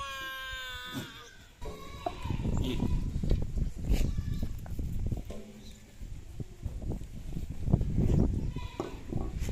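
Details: Farmed goats give a strong harmonic bleat at the start, followed by fainter quavering bleats amid heavy low-pitched noise, clatter and talking.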